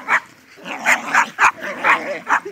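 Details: Two dogs, a Jack Russell and a Staffordshire terrier, playing tug of toy while a Jack cross Chow watches as umpire; sharp bursts of yipping barks spaced irregularly, about six in two and a half seconds.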